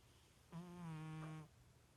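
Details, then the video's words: Sleeping pet cat, said to snore like a little pig, lets out a single drawn-out snore of about one second: a low, buzzy tone with many stacked overtones, steady then fading, in a quiet indoor room. "My Snoring Cat!"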